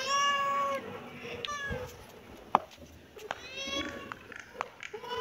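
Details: Kitten mewing in short, high cries with harmonics, interrupted by knocks, rustling and a sharp tap in a small indoor space.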